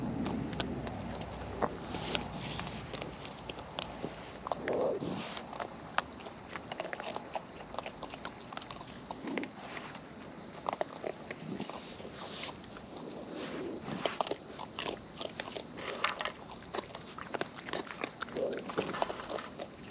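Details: Wild raccoons filmed close up while eating, giving natural chewing sounds: a steady run of sharp, crackly clicks and crunches scattered irregularly across twenty seconds, with soft smacking in between and no other animals heard.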